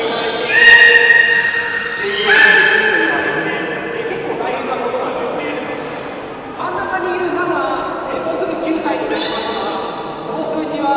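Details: Beluga during a public training session at Port of Nagoya Public Aquarium, Japan, 18 July 2016, 13:30 show: harmonic, nasal squeals that bend up and down in bursts, over a constant murmur of crowd and voices in a large hall.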